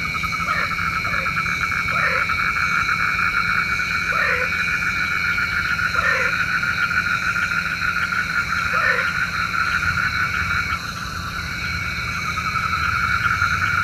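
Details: Night frog calls, said to call rain; single short croaks spaced roughly every two seconds, fairly evenly, over a continuous high-pitched insect-like drone.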